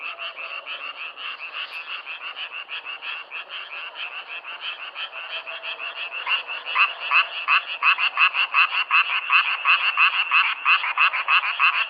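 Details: Frogs croaking in a self-recorded nature sound, a steady train of short raspy pulses that starts softer and grows louder in the second half, nearly three pulses per second.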